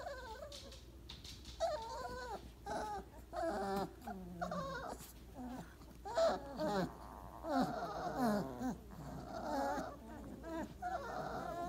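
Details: Weimaraner puppies, 28 days old, piled together after breakfast: a run of high, wavering whimpers and short squeals, several voices overlapping in bursts with brief pauses between.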